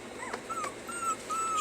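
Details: Puppies being taught to stay give thin, high, drawn-out whimpers, three level whines in quick succession, while a person repeats a command in the background.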